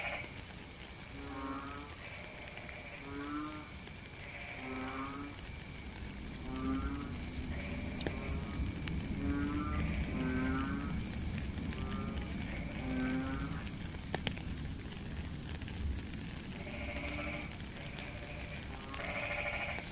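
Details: Frogs calling during rain in a real-time nature recording: low, pulsed, throaty croaks, each about half a second long, repeated steadily by several callers. Higher buzzy calls come in near the end over a constant wash of rain.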